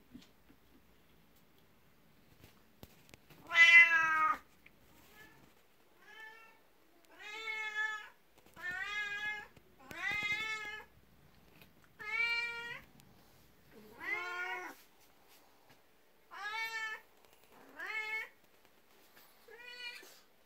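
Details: A 12-year-old black cat, Beni, meows at someone's feet indoors on a morning, jealous of the household's 19-year-old cat and wanting attention. About ten short, rising-falling meows come roughly every one to two seconds, the first loudest, in a quiet room.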